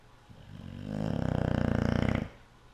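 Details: Yum Yum, a sleeping cat, snoring very loudly: one long, rough, rattling inhale that swells over about a second and cuts off sharply, low and buzzy with a pulsing texture, in a quiet room.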